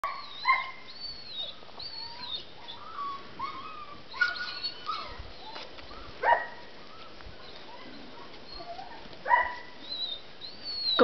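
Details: Five-week-old Kuvasz puppies at play, giving scattered high squeaky whines and short yelps, some rising and falling, with brief gaps of soft background noise between bursts.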